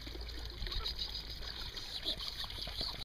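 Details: Outdoors with three-week-old puppies: a continuous watery trickle and hiss with faint distant murmuring and a high steady tone.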